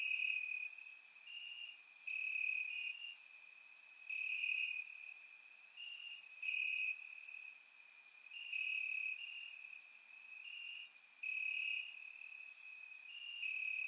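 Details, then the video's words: Night chorus of crickets in summer grass, Bulgaria, surround-recorded: a constant piercing trill with louder pulsed phrases rising and falling roughly every two seconds, several insects overlapping. "Cricket Sounds - Crickets Chirping at Night"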